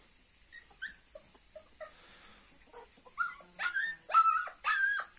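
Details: Kangal puppy set out in the sun in winter to get vitamin D. It gives a run of short, high whines and yips, sparse and soft at first, then louder and closer together over the last two seconds.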